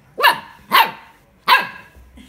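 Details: A Golden Retriever puppy learning to bark gives three high, yappy barks, each a quick rise and fall in pitch.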